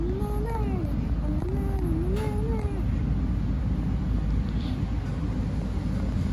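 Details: Stray tabby kitten in Istanbul, playing. Three clear, wavering meows come in the first three seconds, each bending up and down in pitch. Low steady traffic-like rumble continues alone afterwards.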